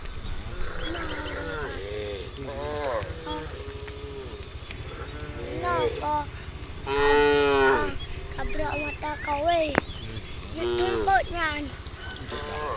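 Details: Herd of tame cattle on the way to green fields, lowing almost continuously with many animals calling over one another, a strong long moo around seven seconds and shorter rising-falling calls, steady background hum throughout.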